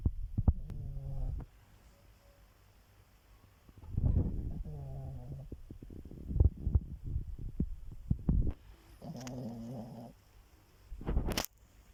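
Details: Sleeping dog snoring: low, rasping, harmonic snores in three drawn-out bursts spaced about four to five seconds apart, with soft clicks and rustles in the quieter gaps between breaths.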